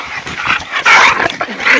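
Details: American bulldogs playing together in a backyard: short, rough, noisy yelps and yips come in quick bursts, with one louder harsh burst near the middle and scuffling between them.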